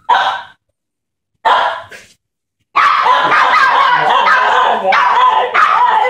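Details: Two puppies, Wookie and Guinness, bark excitedly as a woman comes home: two short bursts of high yapping, then a continuous stretch of overlapping barks and yips.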